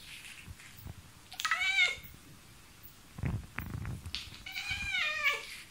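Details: Pet cat, described as quite vocal, meowing at a mosquito inside the home: a falling harmonic meow, a pause with faint thumps, then a longer wavering meow.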